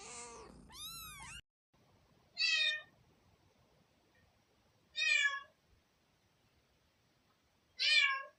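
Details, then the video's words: Kittens meowing, with high squeaky chirps at the start followed by three bright, well-spaced meows about two and a half seconds apart against a quiet background. "Kittens meowing"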